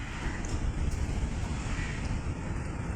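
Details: Steady low rumble of wind and passing traffic, with no animal calls heard.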